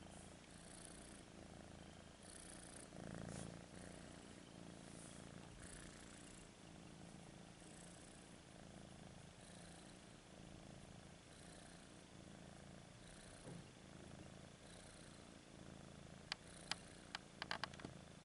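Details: Happy little domestic cat purring: a soft, steady, low rumbling purr, rhythmic and continuous throughout, recorded close in a quiet room with a few faint clicks near the end.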